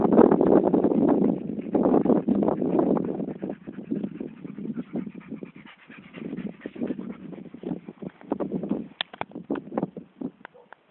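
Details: Dog panting outdoors: rapid, breathy, noisy puffs repeated about three times a second, loud and steady at first, then weaker and more irregular.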